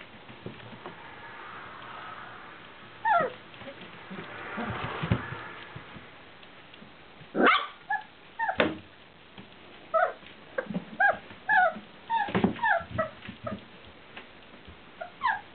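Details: Four-week-old Welsh Springer Spaniel puppies from a litter, 27 December 2013, making high yips, squeaks and whimpers in short bursts, with several pups calling over one another indoors amid soft rustling.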